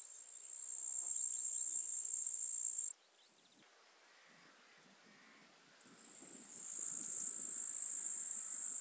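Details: Tettigonia caudata, the eastern green bush-cricket, recorded at Marz in Austria in July 2022: a sustained shrill trill for about three seconds, a brief softer burst, a silent gap of two seconds, then the trill resumes and gradually grows louder.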